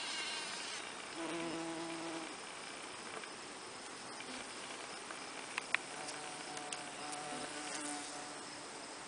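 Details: Honey bees pollinating snapdragon flowers, a low droning wingbeat hum that swells for about a second, fades, then returns faintly, over steady outdoor hiss with a few sharp clicks.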